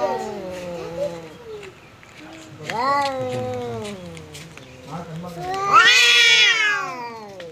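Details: Pet cat facing off with a visiting cat: several wavering mid-pitched yowls, then a sharp, loud, high screech near the end.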